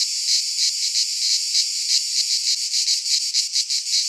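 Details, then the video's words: Midsummer chorus of cicadas in a pine forest in Greece, a loud shrill buzz that swells and fades in uneven pulses, steadier at first and choppier toward the end, nothing else audible. "Cicadas singing in midsummer"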